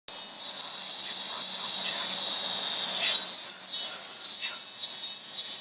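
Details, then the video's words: Cicada, locally called zemi, singing loudly in Japan: a shrill, high, steady metallic buzz that later breaks into pulsing swells, each rising and falling about every half second. "Japanese Cicada (Zemi)"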